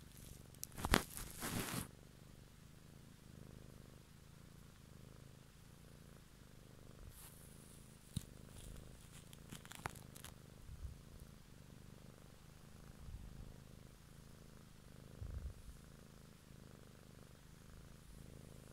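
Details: An evening ASMR recording of a purring cat: a quiet, steady low drone with gentle pulsing, plus crinkling and tearing noises early on and scattered clicks and rustles later.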